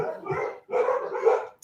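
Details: Several pet dogs barking indoors at home, set off perhaps by a leaf blowing past the window or someone at the door; two rough, excited bursts of barking separated by a brief pause.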